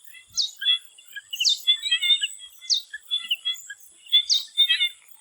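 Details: Swamp frogs calling before sunset in Thailand: a sharp, downward-sweeping high note repeats roughly every 1.3 seconds over a dense scatter of short chirps. A steady high insect-like whine runs throughout.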